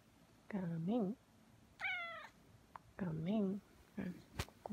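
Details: Pet cat being coaxed to knead, a person calling it in soft Korean; one high, drawn-out meow with a slight waver sits between two stretches of that gentle speech in a quiet room.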